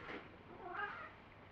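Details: Pet cat named Me, living with its owner and chatting back in a vocal exchange; a short, soft, wavering meow with faint harmonics rises and falls at mid pitch over a quiet indoor background.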